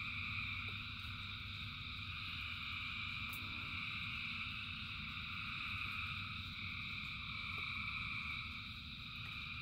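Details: Rain falls steadily as a huge gathering of frogs sings, a bright continuous buzz of overlapping trills high above the low drumming of raindrops.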